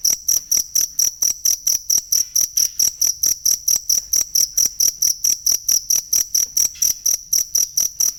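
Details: Steady cricket chirping for teaching songbirds: crisp, shrill pulses come about four times a second, over thirty in an even, continuous sequence, with no other sounds.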